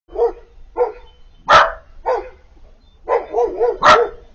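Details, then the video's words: Piper, a female Siberian Husky puppy about four months old, crying on seeing Bandit, an older male dog from across the street: short whiny yelps in quick bursts, two sharper louder cries, then a run of wavering whines. "Crying for her boyfriend, Siberian Puppy talking"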